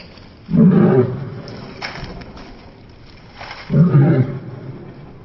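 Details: Pair of Cane Corsos, a female and a large male, roughhousing in play fighting at home, played back in slow motion: two deep, drawn-out rumbling growls about three seconds apart, with quieter scuffling noise between them.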